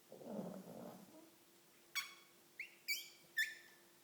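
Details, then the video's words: Pug asleep, letting out one short, gravelly snore at the start, followed by several sharp, high squeaky chirps that rise and fall quickly, with a faint steady hum underneath. "Мопс храпит"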